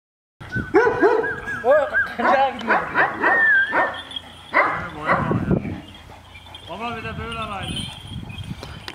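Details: Big Kangal dogs, said to be very aggressive, barking at each other in quick, overlapping volleys of harsh, arching barks, some yelping, while several men speak Turkish over them.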